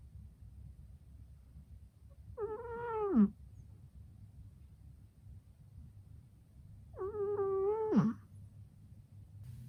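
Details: Shishamo, a flat-faced Exotic Shorthair cat, snores while asleep indoors: two tonal, whistling-moan snores about five seconds apart, each lasting about a second and dropping sharply at the end, over a steady low hum.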